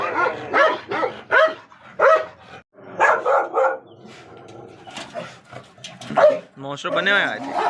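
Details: Dog barking, with a Gultair dog and a wolfdog featured: several loud, harmonic barks in quick bursts, then a longer whining, yelping cry at the end, with human voices around.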